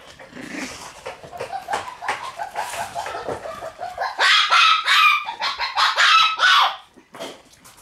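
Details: Red Shiba Inu, a female born on 24 August, whining in a string of high, wavering yips that turn into louder, rapid, urgent cries from about four to nearly seven seconds before stopping.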